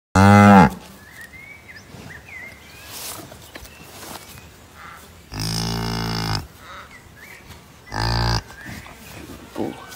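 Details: A Highland cow with her newly born bull calf moos three times on a morning: a short rising low, then two longer, deep, even lows, with faint bird chirps in the background.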